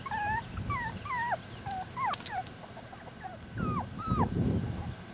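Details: Rat Terrier puppies born in rescue, July, whimpering in high, thin, bending whines that rise and fall, several overlapping cries in quick succession over a low rumbling background.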